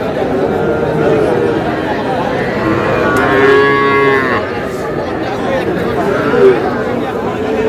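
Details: Young cattle, small bull and heifer calves said to be about six months old, at a livestock market in Madaripur, Bangladesh; one drawn-out moo rises and falls midway, over dense crowd chatter and bargaining voices.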